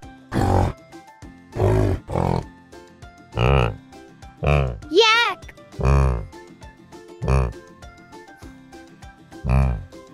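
Low, rough yak grunts repeat about once a second or two, over soft background music and a narrator naming the animal.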